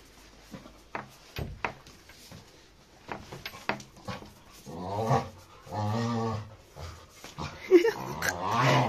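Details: Labrador retriever in an aggressive fight with another dog: scattered sharp clicks and scuffles, then a deep rumbling growl swelling in the middle and a harsher snarl toward the end.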